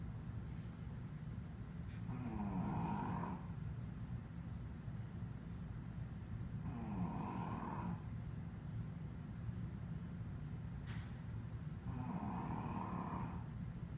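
A Shih Tzu snores in slow, rasping breaths, one every five seconds or so.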